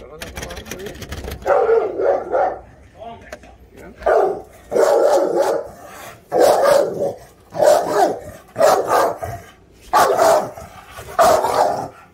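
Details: Presa Canario dog barking in a steady series of loud, harsh bursts, about one every second, with quieter gaps between them and some human voice nearby.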